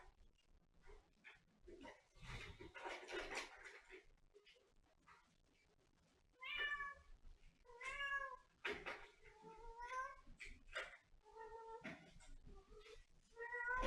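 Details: Cat giving a steady run of repeated meows in the second half, each a short wavering harmonic call coming about once a second, after a stretch of rustling and handling noise.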